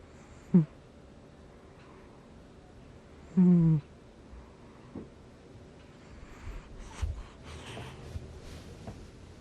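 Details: Gnusmas, a pet cat, snoring in his sleep in August 2020: two short low, buzzy, voiced snorts about three seconds apart, with faint rustling and soft breathing noises between them in a quiet room.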